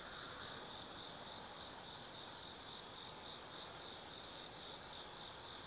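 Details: High, shimmering insect chorus on an autumn night in the woods of Tsukimi no Mori, Kaizu, Gifu Prefecture, Japan, 180 m above the Nobi Plain: an unbroken trill with brief slight flickers in the tone.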